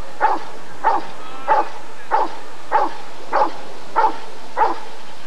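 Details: Rottweiler barking at the ADRK Körung breed survey in 1994. Eight evenly spaced, punchy barks come at a brisk, regular pace over five seconds against a faint background hum.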